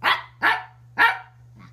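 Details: Dog giving three short, hoarse barks about half a second apart, then a faint fourth sound, indoors with a steady low hum.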